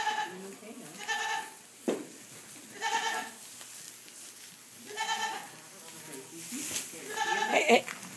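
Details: Fainting goat kids in a barn bleat again and again: wavering, nasal bleats come roughly every two seconds, some overlapping, with rustling and a short thump in between and a person speaking near the end.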